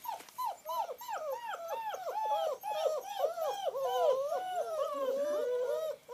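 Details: Several Long Coat German Shepherd puppies at play in the rain, giving a continuous chorus of overlapping high-pitched whimpers and squeaky arched yelps, rising and falling quickly, with a longer drawn-out whine toward the end.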